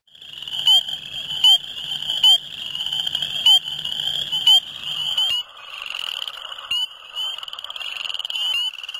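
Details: Spring peepers in a rain-flooded farm field, filmed at night in cold low-40s °F weather in February, give sharp, high rising peeps about once a second over a dense ringing chorus of others.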